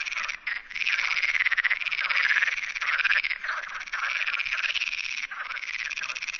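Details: Perez's frog chorus in the Sierra de Barbanza near Noia, Galicia: a dense, continuous rasping croak from many frogs, pulsed and buzzy, with scarcely any pause over several seconds.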